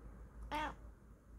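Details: Female Bengal cat at home makes a brief harmonic vocal sound while yawning, lasting about a quarter second, after a person's soft "yeah, hello, hi".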